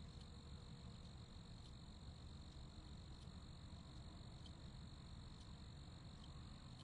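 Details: Crickets producing a steady, shrill trill that holds one high pitch with a faint echoing overtone, soft ticking pulses now and then, and low background hum underneath.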